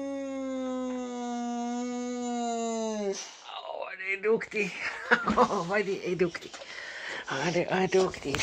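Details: Rex, a Boxer dog, howls in conversation with his owner. A level, sustained tone lasts about three seconds and dips at the end. A man then speaks in Swedish with broken, vocal sounds mixed in.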